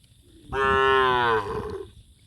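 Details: Gathering cows: a long, loud, steady moo lasting nearly a second, richly harmonic and slightly wavering, ending with a softer tail, over quiet background.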